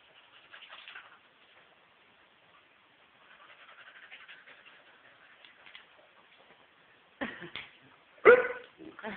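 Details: Young male Staffordshire Bull Terrier, an abandoned rescue dog in the UK, gives two loud sharp barks near the end after a quieter stretch of low vocal sounds and a person talking.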